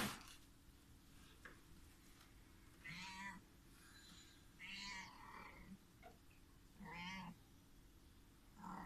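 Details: Month-old house kittens scuffling as the mother cat looks on; several short, bright mews spaced roughly two seconds apart, each a brief wavering cry, over a quiet indoor background with soft knocks.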